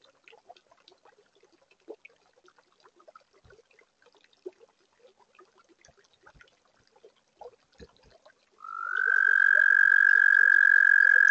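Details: Toads at a backyard pond built in 2022, singing on a warm spring night: a quiet background of scattered clicks and short notes, then a loud, steady high trill starts with a brief rising onset and holds for the final three seconds.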